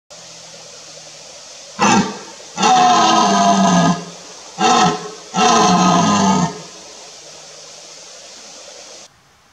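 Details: A red deer stag roars during the September rut, when males compete in the valleys for mating. Deep, hoarse bellows come in pairs, a short grunt followed by a longer roar.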